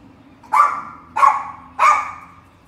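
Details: Pinscher dog barking: three sharp, loud barks spaced about 0.6 seconds apart, each with a quick onset and a short fading tail, over a faint low hum.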